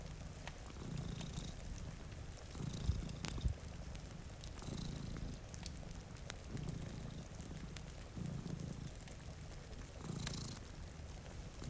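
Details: Purring from one of two cats sleeping before a rainy window: a low, steady rumble that swells and fades in cycles of about two seconds, with crackling fireplace pops and soft rain patter in the background.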